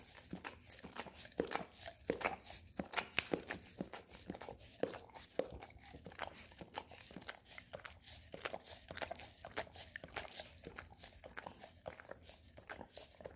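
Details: Golden Retriever licking an Orapup tongue-cleaning brush coated in peanut butter, indoors: a dense run of wet smacking and scraping clicks, several per second, quiet room with no other sounds.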